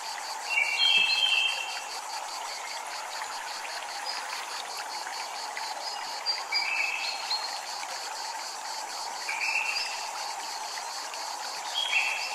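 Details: Cicadas at a Japanese temple, a steady train of high buzzy pulses repeating several times a second throughout, over a constant wash of flowing water, with brief higher chirping notes breaking in now and then.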